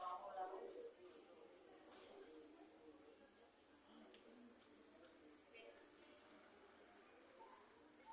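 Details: Cricket at night near a house, giving a steady high-pitched continuous trill throughout, with faint low murmuring of background voices underneath.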